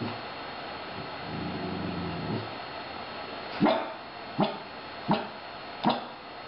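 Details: Lena, an 18-month-old female Puggle, complaining about having to wait for her dinner: a low grumbling whine first, then four sharp barks spaced under a second apart.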